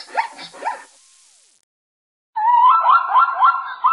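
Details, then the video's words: Zebra calling: two sharp descending yelps, a pause, then a longer run of quick, rising-and-falling braying notes in a steady chain. "Você já ouviu o som da ZEBRA? É um barulho inusitado!"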